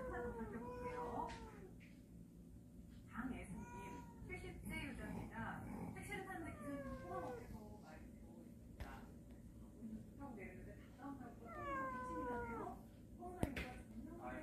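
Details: Family of cats living in a storage shed, coming into a house; repeated high, harmonic meows, some falling, others rising then dropping, from several cats over steady indoor hum, with people talking softly in the background.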